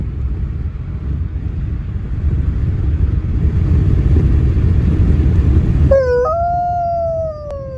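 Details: A wolfdog puppy gives a short, clear howl that rises, then slides slowly downward after a low rumbling background.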